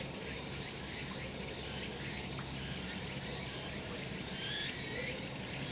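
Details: Summer cicadas in a sunlit mountain spot, filmed the month before: continuous shrill insect droning fills the upper range, with occasional faint rising chirps and light pulsing bursts above a soft low background hum.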